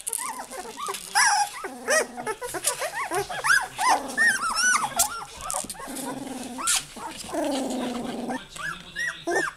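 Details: Noisy litter of Goldendoodle puppies crying for their mom: busy tumble of shrill rising-falling yelps, interspersed with longer nasal whines and a few low growls, calls overlapping irregularly throughout.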